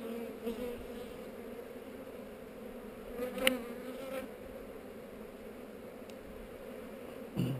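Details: Bees on heather during a hive inspection, recorded with a GoPro; a steady, even droning hum of many bees, with a sharp click about midway and a soft knock at the end.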